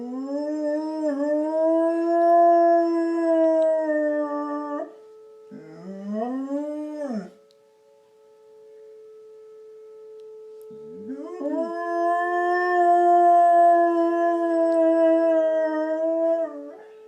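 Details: Dog howling in response to tornado sirens. One long, smooth, sustained howl lasts about five seconds, then a short rising howl follows. After a quiet gap, a second long steady howl rises in. A constant siren tone drones underneath throughout.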